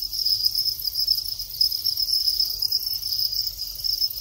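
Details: Breeding Thai crickets, males singing at the start of the mating period: a loud, continuous, high-pitched pulsed trill with gentle rhythmic swells, over a faint low hum.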